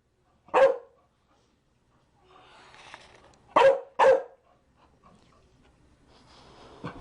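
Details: Chow Chow barking: one sharp bark, a pause with faint background rustling, then two quick barks close together, followed by low noise.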